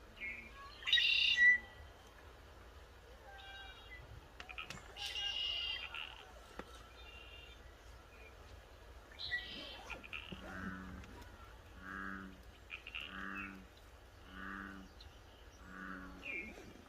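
Elk giving a run of short, nasal hums repeated about once a second, with a few higher squeals.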